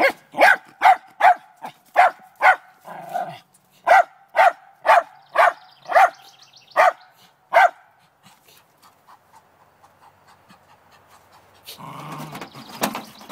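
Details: Trina, a Lakeland Terrier, barks in the morning at a chipmunk hiding in a downspout, determined to get it: a fast run of about a dozen sharp, evenly spaced barks, then quiet ticking and a burst of scraping noise.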